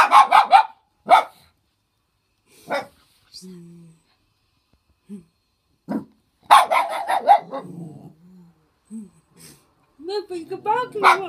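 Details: Ellie the dog barking: loud, sharp, harsh barks in quick bursts at the start, near one second, a dense run around six to seven seconds and again at the end, with a person talking quietly in the pauses.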